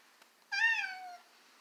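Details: Domestic cat, a male that dislikes his stroller, gives one clear drawn-out meow of about 0.7 seconds, steady then slightly falling, rich in harmonics; quiet room otherwise.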